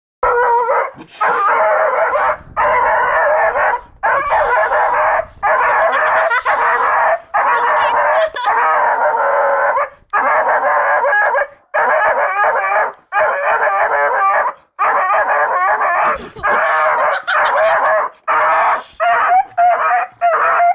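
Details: Rambo, a seven-month-old beagle, gives long runs of loud, harmonic bay-like barks and howls, each about a second long with short gaps, repeated steadily throughout.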